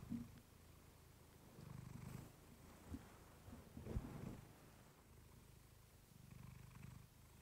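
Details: Clementine, a house cat, purring softly into a fluffy microphone; gentle low rumbles come in pulses about every two seconds, with a brief knock near the middle.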